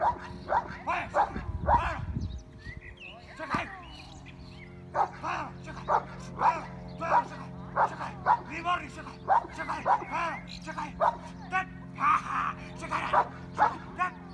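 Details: Ten-month-old working Cane Corso in protection training, barking in defence. Talk and a thud come first. A long run of loud, rough barks follows, spaced under a second apart, with a constant low hum behind.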